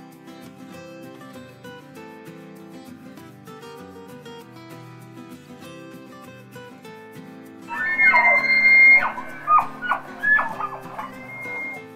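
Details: Soft sustained instrumental music, joined near the end by brighter flute-like whistled phrases that swell and fall, with no animal voice audible.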